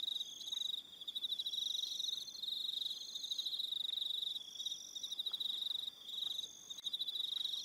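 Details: On Aroha Island, New Zealand, evening crickets keep up a shrill, rapidly pulsed chorus, overlapping trills swelling and fading with short quiet breaks.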